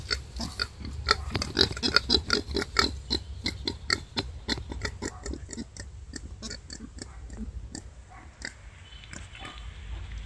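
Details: Wild boar giving birth, the mother straining: quick staccato grunts repeated about four times a second, strongest in the first few seconds, then fading to softer, sparser clicks.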